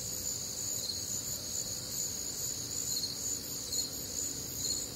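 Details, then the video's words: Midwestern crickets calling through a warm, humid summer night, many insects layered into a constant high shrill hum with quick pulsing beats. "Night Time Cricket Sounds"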